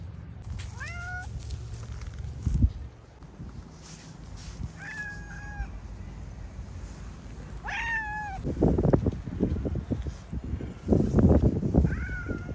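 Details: Stray cats during a heated exchange among feline friends; several drawn-out meows with wavering harmonics come around one, five, eight and twelve seconds, while low traffic-like rumble and bursts of broadband noise fill the background.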